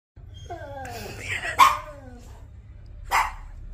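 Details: Labrador Retriever dog talking to its owner indoors: a few drawn-out, falling whine-like tones, then two short, sharp bursts, with faint background music.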